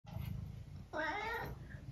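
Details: Eric, a 12-year-old tabby cat from the UK, gives one clear half-second meow indoors, tonal and rich in harmonics, rising then falling, heard after a stretch of low room hum.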